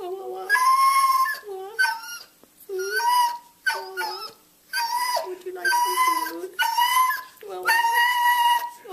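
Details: Indoor beagle performing its yodel-woe, a long series of mournful, quavering whines and yodelling wails that bend up and down in pitch, delivered in rapid bouts with short breaths between.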